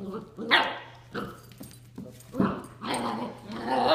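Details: Bernese Mountain Dog puppy, nine weeks old, at 7 a.m. trying to play with a ten-year-old dog who is not interested; short yappy barks and whines mixed with a person speaking, under a steady low hum.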